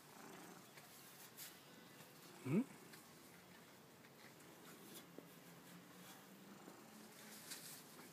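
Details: Domestic cat purring, a faint, steady low rumble running through the recording, broken by one sharp upward-sweeping squeak early on and a few soft knocks, with quiet voices in the background.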